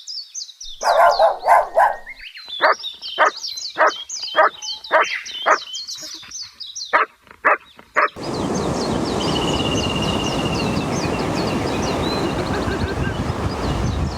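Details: A puppy playing outdoors on green grass gives a quick run of short, clipped barks for about eight seconds over chirping birds, then steady rushing noise takes over.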